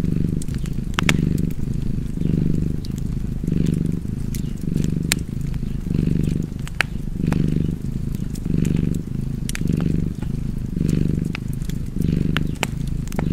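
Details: Cozy fireside purring from a cat, deep and continuous, with a breathing rhythm of roughly one surge per second, while a wood fire snaps and crackles throughout.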